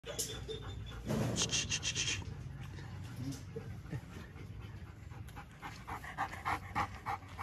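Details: Purebred female German Shepherd, just over a year old, molting and weighing around 27–30 kg, pants in quick breathy bursts that fade mid-clip and return as rhythmic puffs near the end, over a low background rumble.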